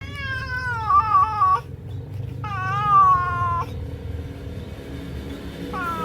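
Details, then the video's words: Domestic cat calling while watching a bird: three long, wavering meows, the first two lasting over a second each with a slight downward slide, the last cut short, over a steady low rumbling background. "Suara kucing ketika ada burung"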